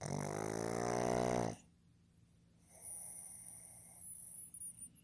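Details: Pug named Fukuzo, a male born 15 July 2020, snoring loudly while asleep indoors: a rough, buzzy rattling snore of about one and a half seconds with dense harmonics, then quiet, followed by faint breathing and a thin high whine.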